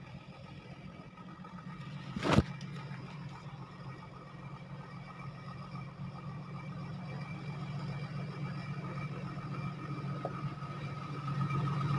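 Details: A steady low engine hum of a vehicle, with one sharp click, and no animal voice.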